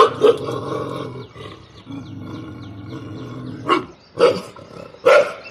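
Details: Pet dog barking from a terrace at another dog: a few sharp broadband barks near the start and in the last two seconds, separated by a longer rumbling, growly stretch; a person speaks Bengali.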